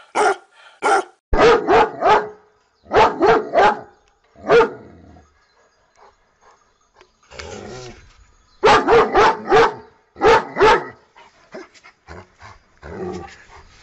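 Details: A pet dog barks in rapid bursts of three or four, pausing briefly between volleys, then a softer, scattered stretch near the end.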